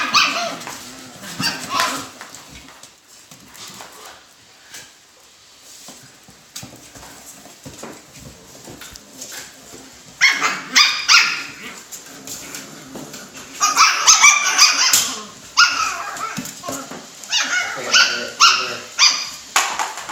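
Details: Alaskan Klee Kai puppies in a box give high, squeaky yelps and whimpers in quick irregular bursts.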